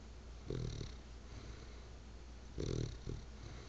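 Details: Sleeping bulldog snoring, two rough low inhalations roughly two seconds apart with a smaller snort after each, soft breathy noise and a constant low background hum throughout.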